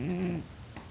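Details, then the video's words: Deeply sleeping house cat Dillon, unmoved by poking, gives a short, low, humming snore with a slight wobble that fades after half a second into quiet indoor stillness and a faint tap. "Snoring cat won't wake up"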